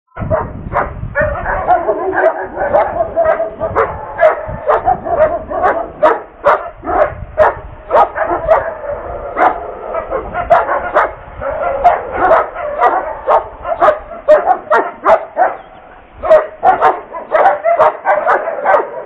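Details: Sable German Shepherd, a police K-9 prospect in the Czech Republic, during an obedience demonstration; rapid, loud barks repeated roughly twice per second with short pauses throughout.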